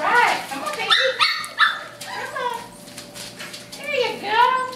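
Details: Puppies at mealtime giving a mix of high, sliding whines and yelps that rise and fall, several overlapping, with short sharp barks among them and some human voice.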